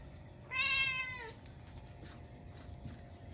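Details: Munchkin cat indoors at midnight on a snowy day, reacting after a stink bug got into the house: a single clear harmonic meow lasting under a second, rising then falling slightly, followed by quiet room hiss.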